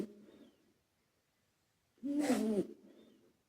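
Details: Male British Shorthair Karumo, a former rescue cat, snoring while asleep with added echo. One loud, harsh, rattling snore sits between softer echoing tails of the surrounding snores.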